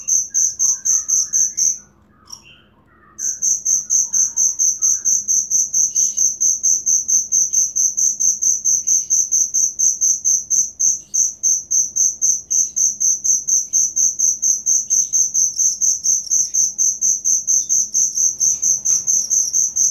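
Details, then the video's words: Cricket chirping, a genuine recording offered as training material for songbirds: a high, piercing pulsed trill in rapid, steady beats, broken by a short silence near the start. Faint, softer chirps sit lower in the background. "Suara Jangkrik asli"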